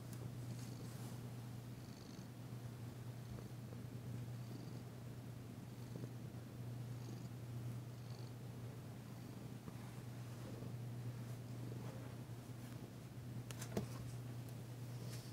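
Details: Massaged female cat Danci, tentative yet enjoying the work, purrs on February 9, 2022; a long unbroken low rumbling purr with soft handling rustles and a single sharp tap near the end.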